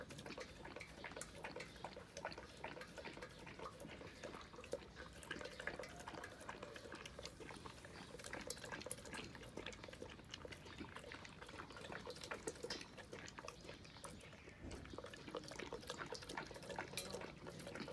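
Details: A big, gentle male Saint Bernard lapping up buttermilk early in the morning; rapid wet slurping and lapping sounds continue throughout, with a short pause near the end.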